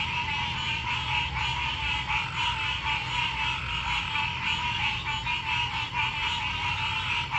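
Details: Nighttime frog chorus: many overlapping croaking calls pulse continuously in a thick mid-to-high band, with faint rhythmic beats and a steady high-pitched whine layered over a low background hum.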